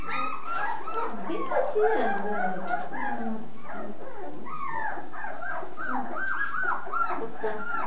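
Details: Full-pedigree Basset Hounds whining together in a dense chorus of overlapping nasal, arching whimpers, some swooping up and down, several calls each second, steady in loudness from start to end.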